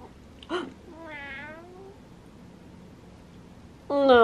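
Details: Domestic cat meowing while yawning: a short chirp, then a stretched, slightly wavering meow lasting about a second that trails off, and a loud sharp meow at the end; quiet indoor background.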